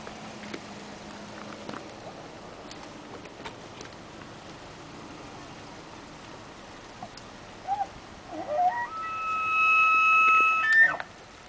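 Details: Male elk in rut rounding up females at Rocky Mountain National Park, Colorado, on 23 September 2007: near the end, low grunting notes climb into a long, high, whistled bugle with strong overtones, held about two seconds over faint background rumble.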